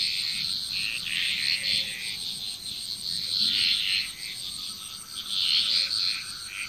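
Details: Frog chorus recorded in Bali, Indonesia, a near-continuous wash of overlapping harsh, trilling calls with brighter swells every few seconds and a faint high insect hum.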